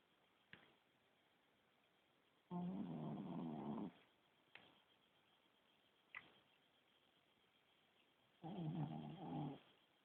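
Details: A sleeping Shih Tzu, a small dog, snores noisily: two long, rattling, grating breaths about six seconds apart, with faint short clicks in between in a quiet room.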